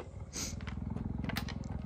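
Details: Female cheetah in winter captivity protesting a male cheetah on her territory; a close, deep rumble of fast, even pulses, roughly fifteen per second, with faint clicks and a soft breath.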